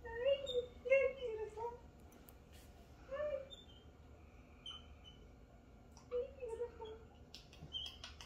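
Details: Capuchin monkey named MonkeyHappy, a pet shown with his friend Martha, giving wavering, whistled, moaning calls in short bursts of about a second, with quiet pauses between, indoors.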